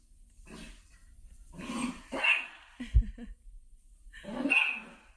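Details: Golden Retriever puppy, domestic pet, gives several short, harsh barks and yips in a row, with rough whining tails between them and a sharper bark near the end, in a quiet indoor setting.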